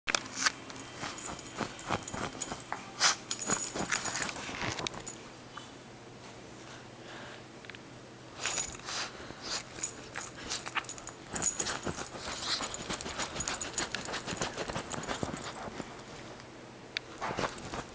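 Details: A dachshund digging on a couch makes short, breathy snuffling and snorting "snouting" sounds mixed with brisk scratching.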